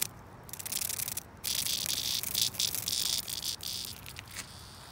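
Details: Cicada under attack by a cicada killer wasp, giving harsh high buzzing in uneven bursts that break off and restart, with a short gap near the start and a fade toward the end over background noise.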